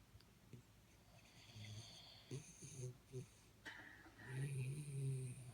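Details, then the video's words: Sleeping Jack Russell Terrier Jaxie gives short snorting snores in quick bursts, then a longer, louder rasping snore near the end, against a low indoor hum. "Jack Russell Sleeping & Jack Russell Snoring"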